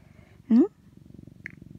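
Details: Orange tabby house cat Mac snuggles with his owner during windy winter weather while his rump is patted, recorded by iPhone indoors; after a brief spoken word, a soft, evenly pulsing low purr continues.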